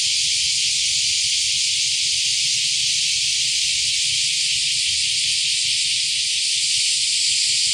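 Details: Cicadas heard for the first time this year, Akashi, Japan, 13 July 2025, near the river mouth and a shrine by the fishing port: a continuous shrill, even hiss of many insects with no pauses, over soft low background rumble.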